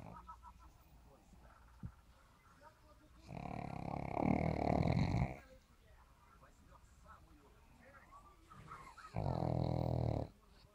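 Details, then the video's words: Sleeping pug snoring: two loud, rough, low rumbling snores, one lasting about two seconds and a shorter one near the end, separated by quiet breathing and faint background noise. "мопс храпит"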